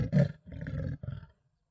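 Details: Male leopard in the Sabi Sands at Dulini, vocalizing in a dispute with a rival male. Three short, rough, low sawing rasps follow in quick succession, the first loudest, then fade to silence.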